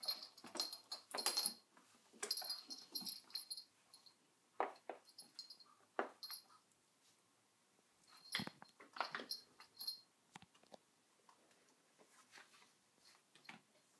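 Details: Dog called Sona with a cushion, giving a long series of irregular wheezy snorts and sniffs laced with thin, high squeaky tones, busiest in the first seconds, with quieter rasping breaths toward the end.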